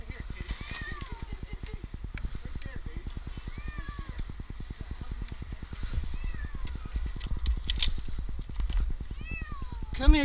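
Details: Eight-month-old male kitten stranded in a tree for two nights in Newark, Ohio, meowing during his rescue: repeated thin, falling meows, about eight, ending in a louder cry, over steady low engine-like throbbing and a man's voice.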